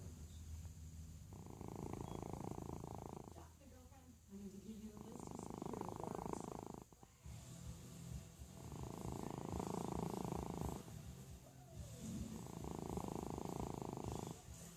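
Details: A domestic cat snores while asleep, giving four rasping, grating breaths of about two seconds each. Short quiet gaps fall between the breaths in an even rhythm.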